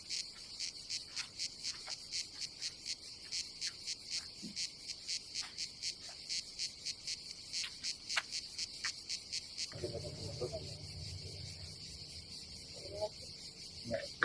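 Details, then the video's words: Summer cicada chorus at a seaside campsite on the Croatian Adriatic coast: a high shrill buzz pulsing regularly, roughly three beats a second. In the last few seconds a low rumbling hum joins it. "Silent ASMR vlog with nature cicadas sound"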